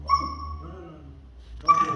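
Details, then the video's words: Mastiff puppy asleep and dreaming, giving a high, steady whining tone that lasts about half a second, fades, then returns briefly near the end, over a low hum. "Cute Mastiff puppy making noises while sleeping!!"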